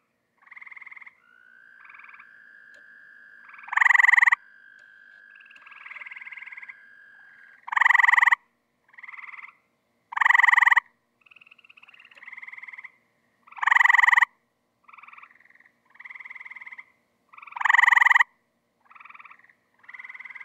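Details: Tree frogs calling in a swimming pool while looking to breed: loud harmonic croaks about every three to four seconds, with softer short pulsed calls from other frogs between them and a long steady tone early on.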